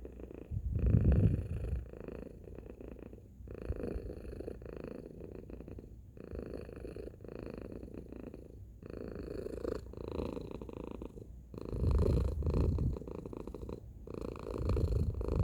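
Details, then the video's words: Tacy, a domestic cat, purring loudly: a deep continuous rumble pulsing in and out with breathing cycles every two to three seconds, strongest near the start and toward the end. "Cat Purring Sound Effect"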